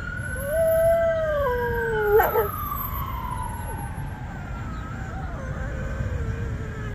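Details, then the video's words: A female dog howling in response to a loud passing ambulance siren; her wavering, rising and falling howl rides over the siren's long sliding wail, with steady traffic rumble beneath. "Dog Howls at Ambulance Siren Sound"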